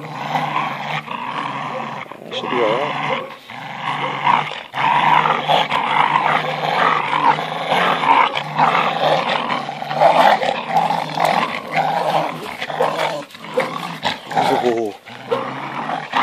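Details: Two American Staffordshire Terriers, older Boss and five-month-old puppy Rocky, playing rough at tug of war; long stretch of continuous rumbling growls with harsh bursts, a man's voice now and then over the struggle.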